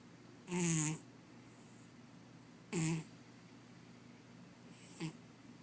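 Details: Sleeping cat snoring indoors: two loud, rough, nasal snorts about two seconds apart, each a short rasping burst with a low buzzy core, followed by a fainter third one, over a steady low hum.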